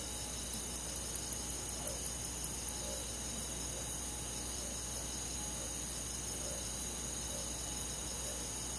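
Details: Crickets and other insects on a summer night in a countryside forest: dense, steady high trilling in layered bands, with a quick run of about ten sharp clicking pulses near the start, over a low constant hum.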